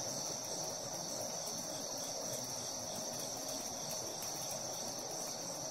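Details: Cicada being played with by a Siberian Husky, giving a constant shrill, high buzz that holds without a break over a background of low rustling.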